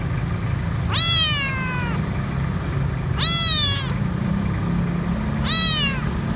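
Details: Lone, frightened stray kitten found under a food truck at a grocery store, asking for food: three loud, bright meows roughly two seconds apart, each bending downward, against a constant low vehicle drone.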